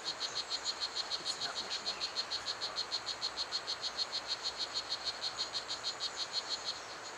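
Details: Strawberry poison dart frog, known as Blue Jeans, calling at Pierella Ecological Garden. Its bright, rhythmic series of short chirps runs at roughly three per second and stops near the end, with constant insect hiss around it.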